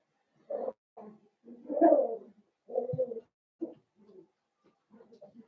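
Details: Blenheim Cavalier King Charles Spaniel puppies from a litter of five born at New Year's, in an indoor puppy pen, making short low voiced grunts and murmurs in irregular bursts, one longer louder grumble near the middle, quiet gaps between.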